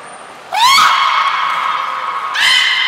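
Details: Captive belugas Gray, Mirai and Niko during training at Nagoya Port Aquarium on 16 December 2018. A loud rising squeal bends upward into a long steady harmonic note. A second strong upswept harmonic call comes almost two seconds later. A thin high tone precedes them.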